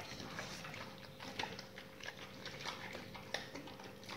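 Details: Several dogs eating raw meaty salmon bones and raw chicken carcasses indoors; wet crunching and chewing clicks in irregular bursts, with a steady faint hum in the background.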